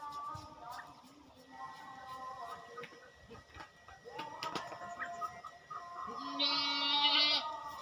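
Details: Goats at a farm during routine caretaking; several wavering bleats overlap, with a loud high-pitched bleat near the end over a steady background hum.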